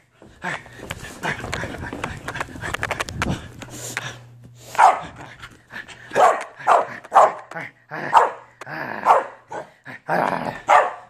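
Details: Corgi during a bath: splashing and rushing noise at first, then a series of loud, uneven barking yelps spaced about a second apart.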